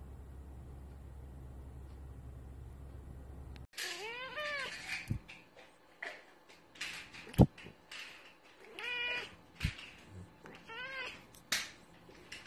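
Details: Domestic cat meowing indoors: after a few seconds of low steady hum, about five short, wavering meows with bright harmonics follow at irregular intervals, mixed with sharp knocks and clicks.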